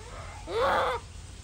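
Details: Japanese macaque giving a single tonal cry about half a second long, rich in harmonics, arching up then falling away, set against a steady low background hum.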